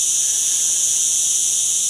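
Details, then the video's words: Many cicadas calling together during a rest stop on a summer trek in Morocco, near water: a loud, steady, high-pitched hissing drone with no breaks, filling the whole scene. "L'odeur, les bruits, vous entendez là, il y a les cigales en pagaille. Voilà"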